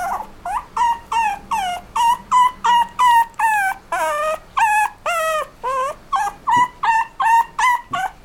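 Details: Apricot-coloured toy poodle and miniature dachshund mix giving a steady series of high, tonal whining yelps, each with a rising then falling whistle-like pitch, about three per second.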